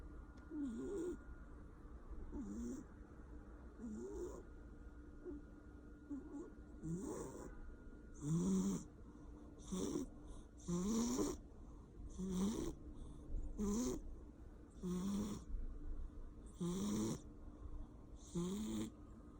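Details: Sleeping Persian cat snoring, a rough low snore repeated about every one to two seconds, growing louder and more regular partway through, each with a breathy hiss; a faint steady hum underneath.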